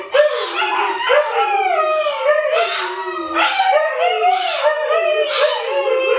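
A Siberian Husky howls in long, wavering tones that rise and fall without pause.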